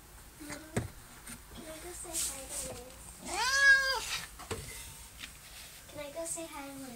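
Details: Recently adopted barn cat, now coming out of its shell and allowing petting, gives a single arching meow mid-way. Soft human talking and small handling noises are heard around it.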